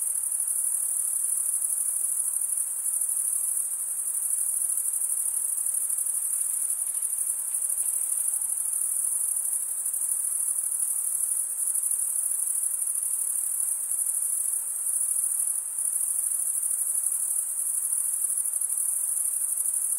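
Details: Male crickets chirping without pause for twenty seconds, a high, rapidly pulsed ringing trill holding constant pitch and volume over a quiet, faintly hissing background.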